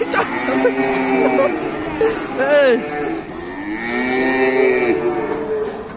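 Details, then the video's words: Several low, harmonic moos from agitated, loose-running cattle, overlapped by excited human shouting and a vehicle nearby. "KUMPULAN SAPI NGAMUK MENAKUTKAN 2022"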